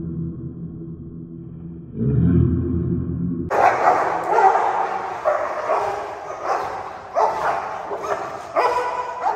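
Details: Tibetan mastiff puppies fighting, one attacking the other and both biting hard. A low rumble opens, then rough overlapping barks, growls and snarls come in dense irregular bursts.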